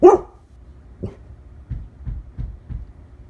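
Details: A single sharp, loud bark opens the moment from Lola, a one-year-old female Labrador Retriever, followed by a softer short woof and then a run of low, evenly spaced huffing breaths.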